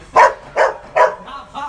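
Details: Newly acquired Rottweiler in a new kennel gives three loud, evenly spaced barks roughly every 0.4 seconds, followed by two softer, tailing-off yelps.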